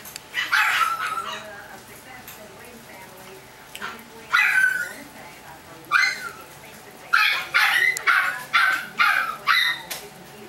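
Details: Chihuahua puppies barking in sharp, high-pitched yaps, a few spaced bursts early on, then a quicker run of about six yaps near the end, roughly one every half second, over quiet indoor background.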